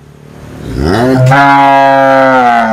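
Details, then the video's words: Cow moo swelling up from a low groan into a loud, sustained, steady bellow that fills the whole short recording. "Tiếng con bò kêu ỤM BÒ/ The sound of a cow mooing"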